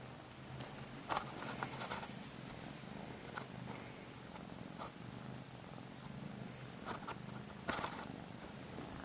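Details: Norwegian Forest cat purring: a steady, low, rapidly pulsing rumble throughout, with a few brief taps and rustles and a woman speaking softly in Spanish at the end.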